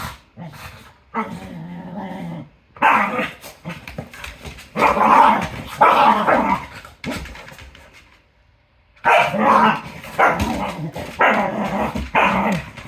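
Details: A female Cardigan Welsh Corgi playing with a second dog, giving harsh growls mixed with sharp barks and yips in rapid bursts, then a quiet stretch before another loud run of snarling play noises.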